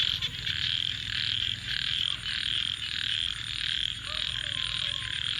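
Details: Many frogs calling after dark make a steady, rasping high chorus of rapid pulses rising and falling in waves, with faint low sounds in the background.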